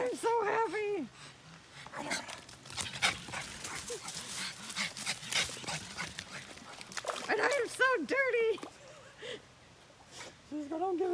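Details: Dog recorded on June 18, 2020, giving high, wavering whining yelps in short bursts at the start and again after about seven seconds, with Spanish speech and laughter between them.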